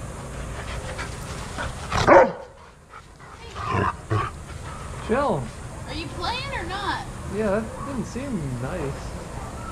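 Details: Adoptable shelter dogs playing together at a daycare: one loud sharp bark near two seconds, a few softer yaps, then a run of high, wavering whines and yelps that rise and fall, over a steady indoor background hum.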